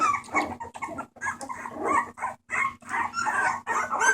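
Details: Rescue Bulldog puppies making noise on 28 March 2014: overlapping scratchy yips and squeals in quick irregular bursts separated by brief gaps, several pups calling at once, low steady hum underneath.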